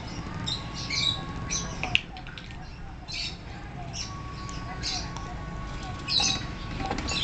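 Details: A newly arrived degu at a pet shop gives short, high, chirping squeaks in brief bursts over a low indoor rumble.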